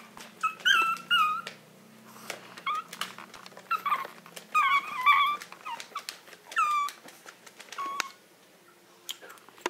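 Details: Maltese of the Herzen rein kennel asking to be let out: bursts of high, wavering whines separated by pauses, with clicks and a low indoor hum beneath.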